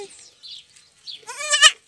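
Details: Goat kid rejected by its mother during bottle-feeding; faint soft sounds at first, then one loud, quavering, rising bleat near the end.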